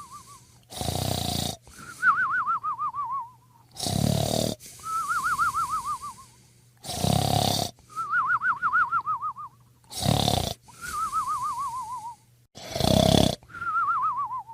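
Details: Sleeping dog snoring in loud, rough inhalations about every three seconds, each followed by a wavering, whistled exhale that slides slowly downward.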